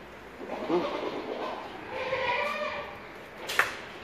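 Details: Purebred Boer goat on a farm gives a wavering, nasal bleat in the middle of the clip, about a second and a half long. Low murmuring comes before it, and a sharp click is heard near the end.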